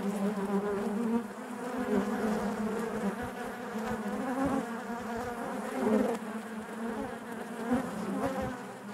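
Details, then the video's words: Honey bees humming together within their hive, a dense, even buzz with slightly shifting tones and a gentle swell midway, steady throughout with faint crackling underneath. "bees therapy hive natural buzzing sound"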